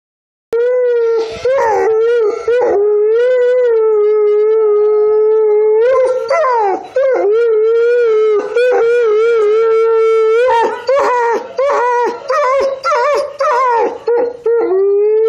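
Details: Grey wolf in Montana howling: a long, strongly harmonic, mid-pitched wail held for many seconds, wavering and cracking into short breaks and dips, then resuming in several sustained stretches.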